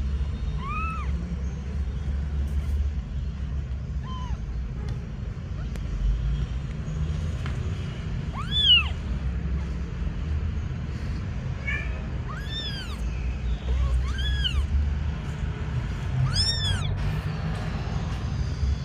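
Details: Agitated kitten giving about six clear, arched mews, each briefly rising then falling, spaced a few seconds apart over constant low rumbling background noise.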